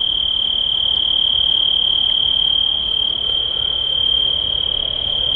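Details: An unusually loud cricket outdoors trills without pause, a piercing, high, steady tone.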